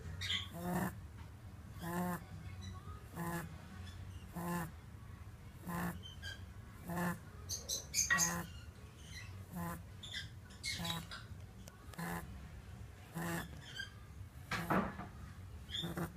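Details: A five-year-old male French Lop rabbit snoring in his sleep, loud enough that he sometimes wakes himself; rhythmic snorting breaths recur roughly every second with some irregularity, plus a few faint high chirps in a quiet indoor setting.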